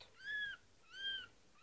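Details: Nine-day-old kitten calling with two clear, arched, high-pitched mews, each about a third of a second long, separated by a short pause in a quiet room.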